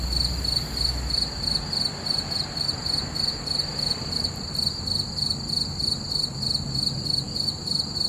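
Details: Night-time cricket chorus under a full moon, high pulsed chirps coming in rapid regular bursts, with a soft low background rumble.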